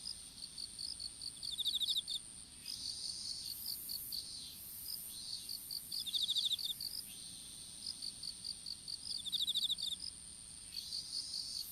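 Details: Chorus of insects in an outdoor strawberry field at planting time, several high pulsed chirp series running together, interrupted by short rasping trills, over a steady piercing high tone.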